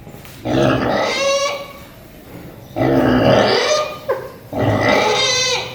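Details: A pig at Paradise Wildlife Park snoozing, giving three long, rough, rasping snores, each lasting over a second and repeating about every two seconds, with quieter breathing between them.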